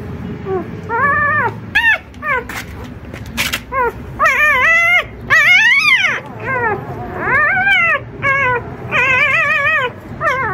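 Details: Puppies four days old with an experienced mother dog, the last litter of four, excited as she enters the puppy room; high wavering whimpers and yips, rising and falling, many overlapping in quick succession with short gaps.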